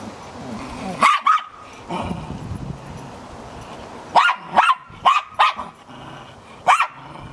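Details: A purebred Cairn Terrier, 2012, gives sharp, high barks in short bursts, some doubled, over a soft background hiss, with wind outside.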